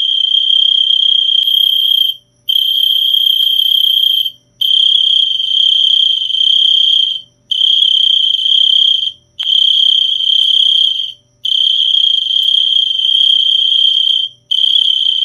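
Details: Cricket producing a bright, unwavering high trill in regular bursts of about two seconds with brief gaps, plus a faint thin higher tone early on; otherwise quiet.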